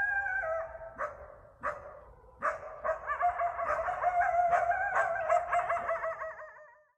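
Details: Eastern coyote (coywolf) calling at night in a backyard in Bellingham, Massachusetts. A long howl with strong harmonics is cut by a few sharp barks, then builds into wavering, quavering howls that fade out at the end.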